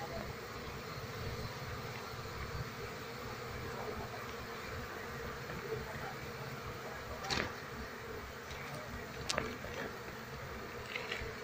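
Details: Wild Asian honey bee colony, Apis cerana, being moved while its queen is searched for: a steady low hum with faint harmonic bands runs throughout, broken by two short sharp clicks late on, with brief talk nearby.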